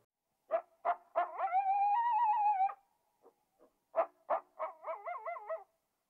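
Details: Coyote, a wild animal, giving a few sharp yips followed by a long, steady howl and then a wavering, warbling howl, with short barks in between and silence around.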